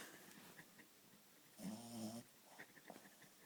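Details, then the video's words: Sleeping Shih Tzu gives a single half-second nasal snore with a buzzy, layered tone, surrounded by soft ticking and faint background noise. "Snoring Shih Tzu"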